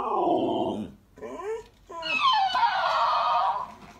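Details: Female Alaskan Malamute debating a talking toy hamster in a small room: a falling, grumbling howl, brief rising yips, then the toy's high, rapid squeaky repetition of her sounds.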